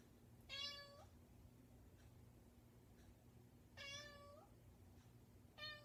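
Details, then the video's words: ,Domestic cat persistently meowing at a bedroom door indoors: three drawn-out harmonic meows, each about half a second, the first two spaced roughly three seconds apart, over a low steady household hum. "The Cat's Meow"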